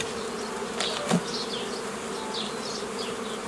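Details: Honey bees hum during old-style formation of nucleus colonies from a previously formed forager swarm, 15 May 2018; steady low drone throughout, a brief knock near one second, and faint high bird chirps overhead.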